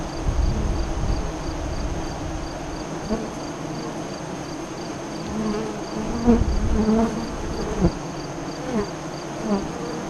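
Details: Low droning hum of honey bees at a hive entrance near Lyons, Nebraska, filmed during the 2017 solar eclipse, with several bees buzzing loudly past the recorder and a regular high-pitched insect pulse in the background.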